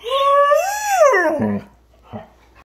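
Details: Irish Setter puppy giving a dramatic yawn indoors: a long whining tone that rises and then falls over about one and a half seconds, followed by a short soft sound, with a person saying "oh no" just before.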